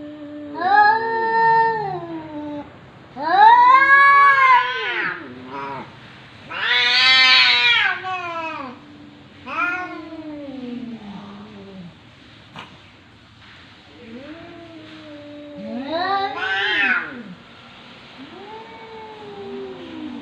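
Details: A series of about seven meows from a talking domestic cat, 2020: some are short and chirpy, others long and yowling. Calls vary in length and pitch and grow quieter toward the end.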